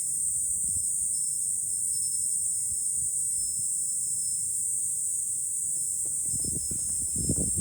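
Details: July cicada chorus heard from a high vantage point above Fukuoka city, Japan, a continuous high-pitched droning buzz without pause, with low rumbling wind and scattered low knocks growing louder toward the end.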